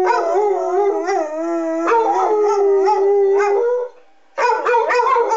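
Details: Two Basset Hounds, a 6-year-old tri-colour male and an 8-year-old tan-and-white, howl along with the monthly test of the city's public sirens, giving long, wavering, harmonic-rich wails that rise and fall, pause briefly, then resume with rougher overlapping voices.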